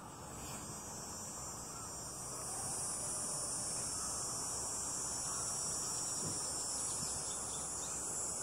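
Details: Cicadas calling in a backyard on a sunny day: a steady, high-pitched electric buzz that runs unbroken through the whole stretch and swells slightly partway through, over a low rumble of background noise.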